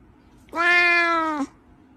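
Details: One clear, sustained meow of nearly a second from a cat in a cats and kittens compilation. The pitch holds level and dips briefly before cutting off, with no other sounds around it.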